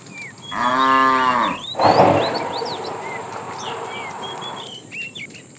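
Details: Fat cow calling the female while a tame herd is herded in the afternoon: a single deep, full moo of about a second, followed by a rougher breathy grunt, with bird chirps scattered behind.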